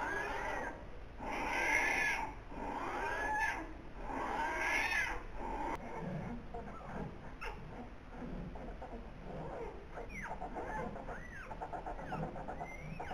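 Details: Newborn polar bear cubs, a pair born 14 November 2021 in the den at Zoo Rostock, the parents' first young: repeated harmonic squalling cries in the opening seconds, then fainter scattered squeaks and rustling.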